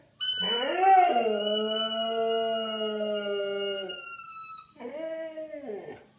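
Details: Yuma, a seven-year-old Siberian husky, howls along with a toy trumpet: long sustained tones that rise and hold steady for about three seconds, then a shorter second howl that bends downward, with the trumpet's bright buzzy note mixed in.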